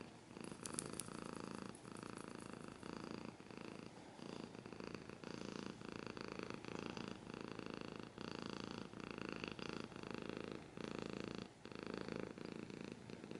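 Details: Domestic cat purrs steadily, low throbbing rumble swelling and fading in breath-length cycles of about a second, a few sharp scratching clicks at the start.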